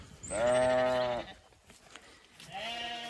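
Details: Zwartbles ewes on a County Kilkenny farm in Ireland, just moved up the long acre before sunrise, on muddy ground and hoping for breakfast. One clear, steady bleat of about a second, then a fainter second bleat after a quiet pause.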